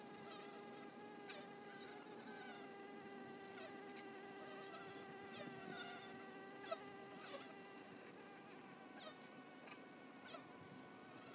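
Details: Honey bees at a hive entrance: a steady, layered buzzing drone with stacked tones that shift slightly in pitch as individual bees fly past, punctuated by faint ticks and taps.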